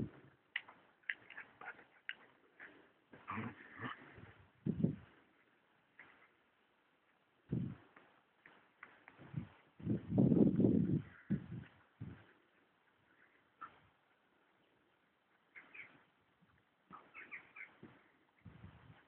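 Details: Two sister German Shepherds, both female and black or black-brown-gold, at play; rapid throaty growls and grumbles in uneven bursts, a louder rumbling growl around the middle, quieter whines toward the end.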